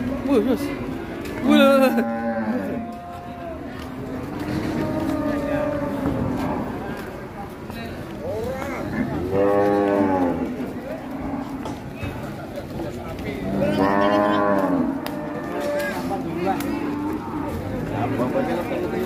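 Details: At Siyono Harjo market, a sacrificial cow comes down off a truck while agitated. Several low, level moos are scattered through the clip, mixed with loud shouting men and a noisy crowd.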